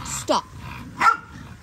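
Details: Linc, a young Australian cattle dog puppy, romps with larger puppies in a paddock; two short, sharp yips sound about three quarters of a second apart against a quiet outdoor background.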